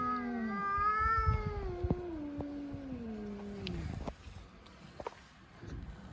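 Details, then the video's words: Fighting stray cats on the street: one long harmonic-rich yowl that starts high, wavers, then slides steadily downward over about four seconds before breaking off, followed by quieter street noise and faint clicks. "Cats Fighting by making strange noises."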